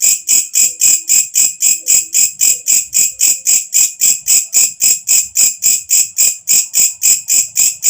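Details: Walang kecek, a katydid heard when night falls, producing a piercing high buzz broken into regular pulses nearly four per second, steady and unchanging across the recording.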